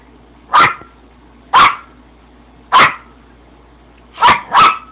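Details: A little Yorkie barks at the camera to get attention: five loud, sharp yaps, roughly one per second, with the last two coming in quick succession, against a quiet background.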